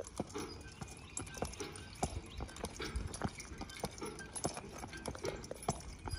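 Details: Percheron horse being driven, hooves striking in sharp, uneven clops about once a second over a steady low rumble and background hiss.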